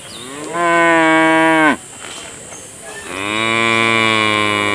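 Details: Cow. A cow lets out a loud, sustained moo that holds a steady pitch and then falls away abruptly. After a short pause a second, lower and longer moo follows, rich in overtones.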